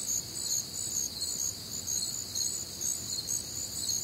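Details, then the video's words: Many crickets calling together through a humid Midwestern summer night, a continuous high chirping with regular pulses a little over two per second and stacked shrill tones, soft background murmur. "Night Time Cricket Sounds"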